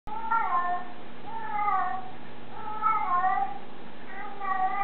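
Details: Black Japanese bobtail cat responding to another cat's talking, trying to find the talking cat indoors; four drawn-out, wavering meows about one per second, each slightly falling, over a steady low hum.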